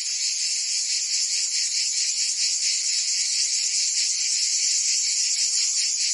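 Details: Summer chorus of cicadas in Provence, France, a shrill unbroken buzz pulsing roughly twice per second, several insects overlapping, with nothing else audible.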